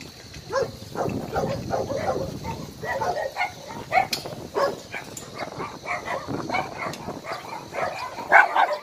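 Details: Many dogs bark at once at Hanna's rescue shelter for abandoned dogs in Daegu, South Korea, a dense, overlapping clamour of yaps and barks with no pause, mixed with some human voices.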